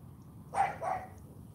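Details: Charme, a young female Cane Corso with AKC champion status, gives a quick pair of short barks in morning training, just before repeated "sit" commands. Faint low background noise.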